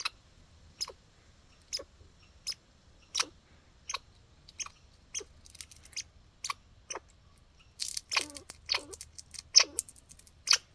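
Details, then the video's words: Outdoor backyard squirrel hiccuping: spaced single sharp chucks at first, then a denser, louder burst of quick clicky calls with low hooked endings near the close. "Sounds like squirrel hiccups..."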